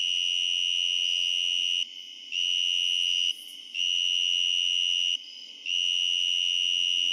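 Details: A tree cricket, recorded up close on a summer night with other distant crickets and katydids, sings a steady, high, pure trill, pausing briefly every couple of seconds.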